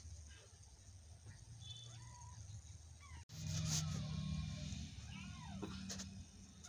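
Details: Domestic cat meowing: a few short, rising-falling meows spread through the recording, growing louder in the second half, with steady low background hum.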